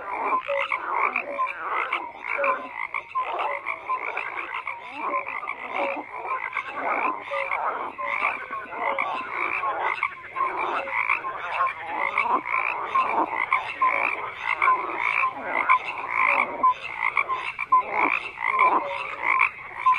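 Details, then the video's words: Frogs croak nonstop in a crowded chorus over twenty seconds. Gritty trills and rattles overlap with scattered higher chirps, and the loudness swells and dips constantly. "FROGS CROAKING"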